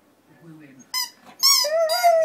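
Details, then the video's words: Husky indoors talking back to his squeaky toy duck: a low soft moan, two sharp harmonic toy squeaks, then a drawn-out steady mid-pitched howling whine answering them. "husky talks to his toy"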